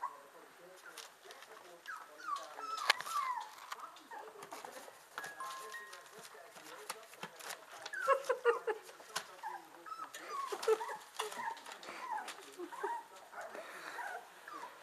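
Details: Whippet pups, 25 days old, in a litter giving a steady stream of high, thin squeaks and whimpers, overlapping and irregular, with occasional louder yelps and some human speech mixed in.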